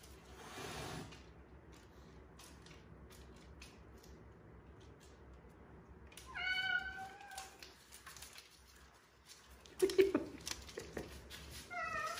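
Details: Crying kitten among rescued strays, one found in a dark sewer, others lost in bushes for hours; a loud, drawn-out harmonic meow after a quiet stretch, a second short cry near the end, with light indoor knocks.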